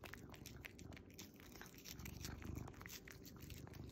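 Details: Low continuous purring from a tuxedo cat wearing a Starbucks apron as he eats his treat, overlaid by rapid, irregular wet slurps and crunchy chewing ticks, swelling slightly in the middle.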